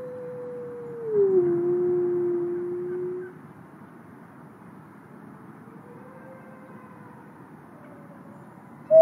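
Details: A captive-born male gray wolf, an ambassador wolf at a wolf conservation center in South Salem, New York, gives a long, smooth howl that slides gently downward. Fainter howls from other wolves drift in afterward as about 50 wolves respond.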